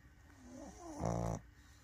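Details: Pug asleep and snoring: soft wavering nasal whines lead into one loud, rasping snore of about half a second with a deep buzzing rumble, then quiet.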